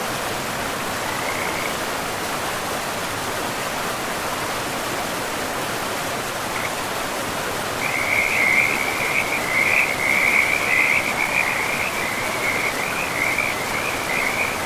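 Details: Frogs by a river in a pristine forest: a steady, high trilling chorus swells from about the eighth second and pulses on to the end over constant rushing river noise.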